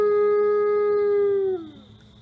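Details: Autumn afternoon howl from a male ambassador wolf kept at a conservation center in South Salem, New York: a sustained, even, pure-toned note held for about a second and a half, then sliding downward and fading out, with a faint constant hum beneath.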